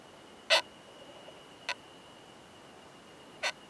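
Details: Loud "kan kan kan" clicking by a male Oomadarakokunusuto beetle during mating with a female, recorded in a high-altitude pine forest: three crisp, percussive knocks spaced irregularly, the first strongest, above a faint continuous high hum.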